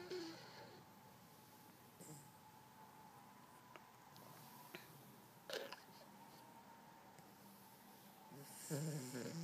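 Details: Sleeping Dachshund snoring while dreaming, a soft rasping breath sound with low rough pulses, quiet room tone, and a few brief louder rustles or snorts near the end.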